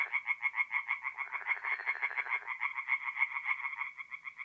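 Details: Night chorus of tree frogs at a forest pond in north-east Italy, mid-April: fast, evenly pulsed croaking, a second frog joining in partway, the rattling notes repeating several times a second.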